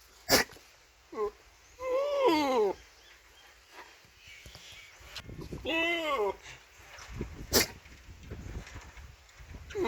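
A goat gives two loud, quavering bleats, each wavering up and down for about a second.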